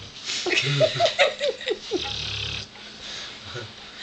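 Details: A pet dog that could not stop snoring. Rough, low snorting breaths come in quick uneven bursts with a few brief squeaky whimpers, then a longer low rumbling exhale, and quieter breathing after.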